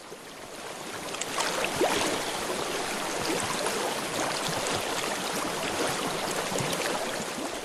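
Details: No animal voice, only a steady wash of running water and snowmelt-like rushing noise throughout, with a few faint knocks and splashes.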